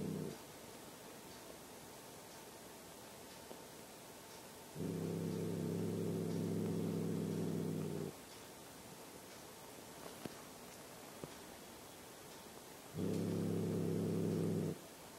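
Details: Growling cat directing low rumbles at a German Shepherd; deep droning growls come in bursts, a short one at the start, then two longer stretches of about three and under two seconds, with quiet gaps between.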